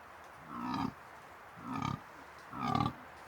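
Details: A dominant fallow deer buck with his harem in the New Forest in October gives deep, rough rutting groans, three belching grunts about a second apart.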